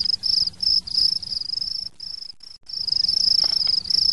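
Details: Frog from India heard indoors in a mansion, giving a shrill, high squeaking trill in uneven pulsed bursts, with brief silent breaks midway before the piercing calling resumes at full strength.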